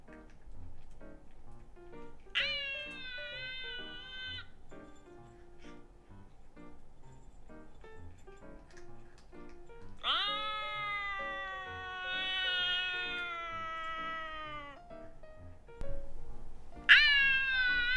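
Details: Male Scottish Fold cat, born December 2019, kept as a house pet while its owner tries apps said to translate cat talk; three harmonic meows, the middle one long and drawn out, over soft background music and light tapping.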